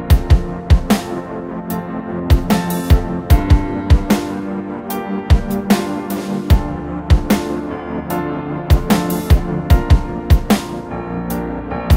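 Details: Electronic dance music with heavy bass and sharp, regularly repeating drum hits fills the whole stretch; no animal voice comes through.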